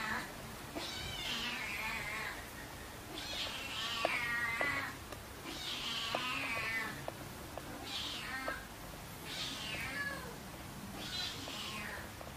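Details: Six repeated meows, roughly every two seconds, each rising sharply and then falling, plus small clicks and rustles. Siamese kitten Keiko, about three months old, moves in with her one-year-old half-brother Zen, August 2009.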